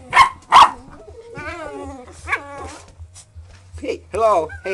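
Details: English Springer Spaniel puppies, four months old, playing together on a porch with a pop bottle: two sharp loud barks open, then rising and falling whiny yips and squeals, while a man speaks softly over a low hum.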